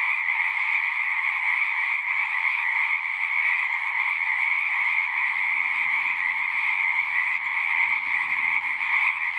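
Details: Unbroken frog chorus of countless overlapping callers, bright high band over a lower one, with a faint low rumble in the background midway through.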